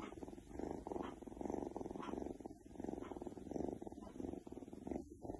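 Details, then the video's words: Keks, an Oriental Shorthair cat, purrs contentedly; a continuous low vibrating rumble that rises and falls with each breath, roughly one cycle per second, with no other clear sounds. "Oriental Shorthair Cat Keks Feels So Good with Purring"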